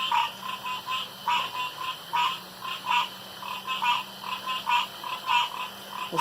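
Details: Frogs calling around a pond after dark: short nasal croaks with a bright, buzzy edge, repeated quickly and somewhat irregularly, several overlapping, about seventy per minute, with a steady faint hum underneath.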